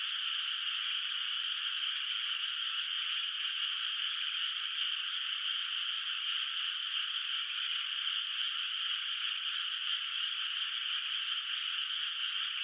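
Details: Distant frogs filling a moonlit, unplanted countryside rice field at night with a continuous chorus; countless overlapping trills form a steady, dense hum without gaps or swells, and a faint constant high tone lies above.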